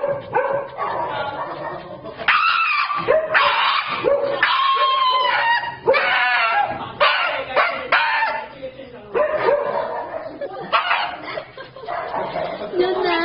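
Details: A Shiba Inu at the vet screams in loud, high, wavering bursts with brief breaks between them.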